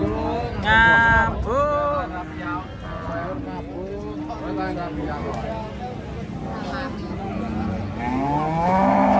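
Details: Cattle being unloaded from a truck at a market, a sleepy young animal among them: a run of short, bending moos, some rising then falling, mixed with people talking nearby.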